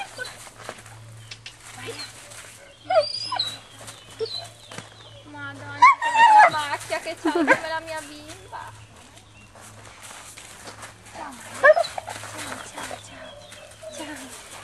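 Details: Dogo Argentino at a kennel that breeds the dog for build and temperament, whimpering and crying in short wavering bursts clustered mid-clip, while people chat affectionately nearby and a steady low hum runs underneath.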